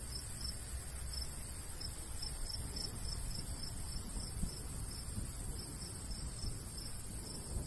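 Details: Crickets chirping in summer countryside beside a golden wheat field, short high pulses repeating steadily several times a second, over a constant high insect hiss, light breeze and low rumble.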